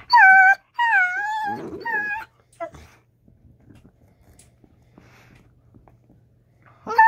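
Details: Two Dachshunds 'talk' to each other during rough-and-tumble play, in wavering, whiny yowls that bend up and down in pitch, with a brief growl.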